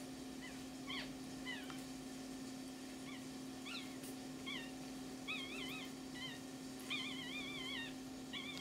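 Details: Pomeranian puppies beside their mother whine and squeal: short high yelps early, then longer wavering, warbling whines repeated several times, set against a constant low electrical hum.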